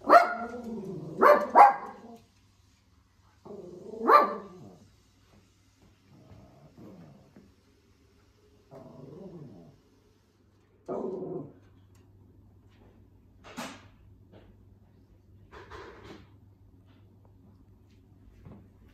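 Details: Pet Shih Tzu playing and doing tricks indoors, waiting for a chicken treat; a few sharp barks and yips at the start, then softer scattered whines and grunts over a steady low hum.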